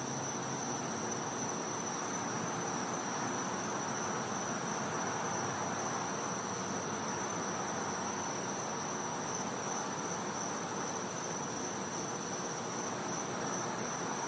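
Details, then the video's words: Winter night in a Florida back yard, with a cicada giving a continuous shrill tone that never breaks or changes pitch, set against a dense, even wash of background hiss. "Cicada Sounds"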